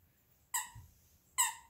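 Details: Squabbling over a toy fox, Luigi, a 12-week-old Alaskan Klee Kai x Pomeranian puppy, and Pooki, a 7-year-old American Eskimo x Chihuahua; two short, bright, squeaky yips under a second apart.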